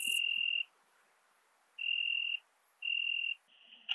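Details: Ringed bush-cricket, Biedermannsdorf, Austria, 8 August 2022, through a Pettersson D 100 ultrasound detector. Three clean, level tone bursts, each about half a second long, are followed by a weaker wavering tone and an abrupt broadband crackle at the end.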